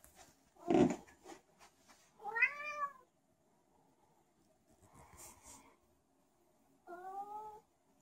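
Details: Zebedee, a special needs domestic cat, wandering about indoors and meowing for no reason: a loud thump, then two drawn-out harmonic meows, the first rising and falling, the second level, with faint rustling between.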